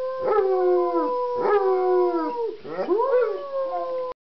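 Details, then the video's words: Rocky, a 3-year-old male German Shepherd who howls on cue and at sirens, howls in long, mournful notes that sag downward, then swoop up again. "Rocky - My German Shepherd Howling Singing"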